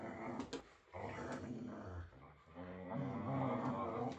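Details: Whippets growling while playing: rough, throaty growls that rise and fall in overlapping bursts, some quite loud, with short snorting breaths, heard indoors in a small room.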